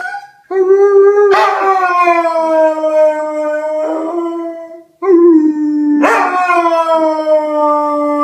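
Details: Red Dobermann howling in a way described as singing the blues: two long, sustained, strongly harmonic howls, each opening with a rising wail that surges louder, then holds a steady tone before trailing off, with a short silent gap between them.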